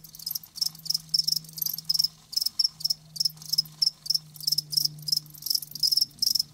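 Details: Crickets recorded live, sharp high chirps in clustered pulses roughly three to four per second, loud and clear over a soft steady low hum.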